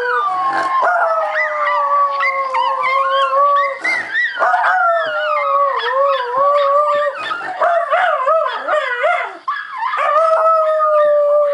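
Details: Pet Schnauzer named Max howling: long sustained tonal howls drifting gently around a steady pitch, broken by short wavering yelps and sharp gulps, nearly continuous for the whole stretch.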